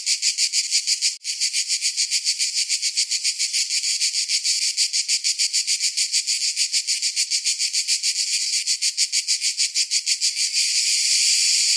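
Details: Summer cicada chorus, a dense metallic buzz pulsing rapidly and evenly, with a sharp click near the start and the pulses blurring into a continuous hiss toward the end.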